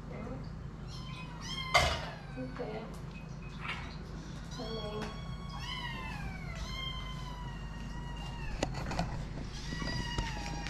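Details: Hungry eight-week-old kittens screaming for food while waiting to be fed, many overlapping high, drawn-out meows with falling and arching tones, steady low hum underneath.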